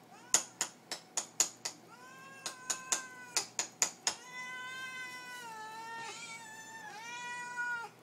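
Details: Pet cats asking for food at suppertime: a quick run of sharp clicking taps, then loud, sustained meows that waver and overlap as more than one cat joins in.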